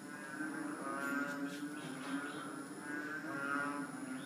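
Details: Small frogs, about three inches long, hold a steady mooing chorus. Their buzzy, sustained tones rise and fall gently over a constant hiss, with a few faint clicks mixed in.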